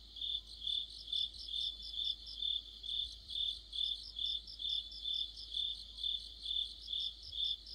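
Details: Deep-autumn insect orchestra led by crickets, a bright pulsed chirp steadily repeated roughly twice each second while a softer overlapping trill of another singer runs alongside.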